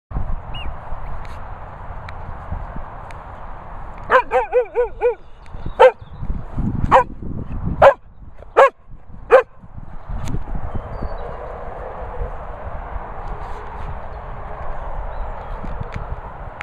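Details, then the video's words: Sprocker Spaniel dog at a training and boarding kennels in the Worcestershire countryside: a short run of high yelping whines, then five loud sharp barks spaced about a second apart over a steady background hum. "Sprocker vocal"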